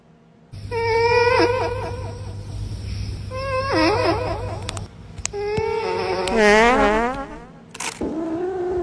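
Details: Domestic cat from a funny cat compilation, giving a series of harmonic, wavering meows and drawn-out yowls that rise and fall in pitch, with a steady low hum beneath and clicks between calls.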